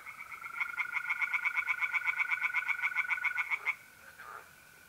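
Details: Nocturnal pond scene in north-east Italy, mid-April: a tree frog delivers a fast, steady run of harsh croaking pulses for nearly four seconds before falling silent, over the level continuous trill of mole crickets.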